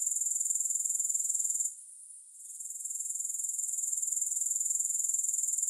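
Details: Grasshoppers in a steady, shrill high-pitched chirring made of rapid even pulses, about four per second. The sound drops out briefly near the two-second mark, then swells back to full strength. No music or other sounds.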